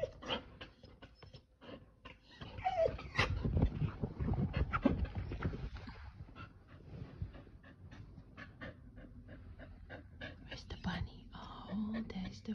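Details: A Keeshond dog in a home yard, obsessed with and excited by a bunny, pants rapidly in soft breathy bursts, then gives a few thin, high whimpers. Scuffling and light rustling sounds are in the background.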